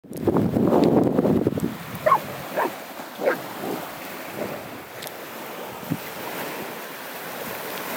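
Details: On a beach at Weybridge, a Golden Retriever gives a few short, sharp barks at a capelin, seemingly trying to scare it, over steady surf and gusting wind.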